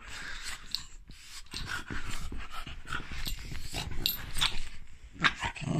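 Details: A French bulldog grumbles and growls in low, rumbling bursts, apparently objecting to profanities, while a person scolds it with "Hey!" and "Shh, no."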